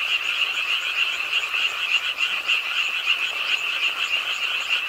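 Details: Night chorus of frogs at a pond in Ingye Art Park, Suwon, South Korea, croaking with the rainfall: rapid, dense, high trills overlapping without a break, with a brief dip in loudness midway.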